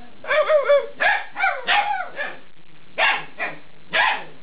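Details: Two-month-old Alaskan Malamute pups in a burst of vocalizing: a drawn-out wavering whine-howl, then a string of choppy barks and yips with short gaps between them.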